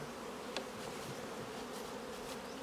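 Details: Thriving honey bee colony droning in the hive while beekeepers take off the honey; an even, sustained low buzz throughout with a single brief tick early on and light hiss above.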